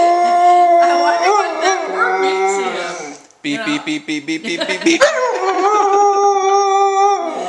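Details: A Siberian Husky puppy howls in long, wavering tones at people repeatedly saying "beep," briefly breaking into quick pulsed yips before howling again.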